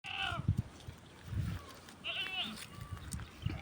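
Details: Domestic goats kept on a farm, being fed organic malunggay (moringa) leaves, give two wavering, nasal bleats, one at the start and one midway, each about half a second long, with soft low thumps and murmured speech between them.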